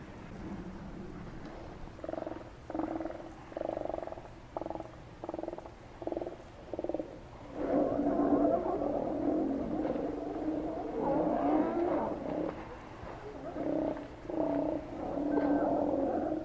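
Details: Steller sea lions at Cowichan Bay, Vancouver Island, Canada, give deep, rough roaring calls in repeated bursts that merge into a continuous chorus.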